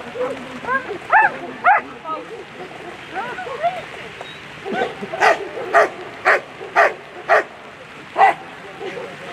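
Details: German Shepherd at a world championship agility competition, barking in a rapid series of sharp, evenly spaced barks about every half second in the second half, after human voices and echoing arena noise.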